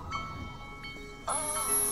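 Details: Beluga whale (Delphinapterus leucas) of the St. Lawrence River gives a contact call, a sudden harmonic, buzzy tone linking mother and calf, over soft music; the call establishes mother–calf contact, possibly compromised by vessel noise.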